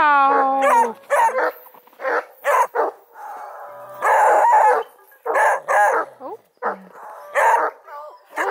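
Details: Several 4-month-old Redbone Coonhound puppies playing near Kingston, Ontario, Canada. Rapid bursts of yappy barks, overlapping and irregular, mixed with short whiny howls and yelps throughout.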